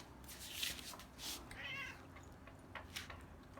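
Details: Domestic cats at a home cat sanctuary during feeding time, five cats named Winchester, Prancer, Latte, Cookie and Tiger Lily; a short harmonic meow near the middle, amid rustling, clattering food preparation and brief human talk.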